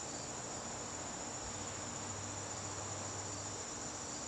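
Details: Crickets in a garden on a September evening, a steady high-pitched trill running unbroken through the whole stretch over a soft background hiss, with a faint low rumble partway through.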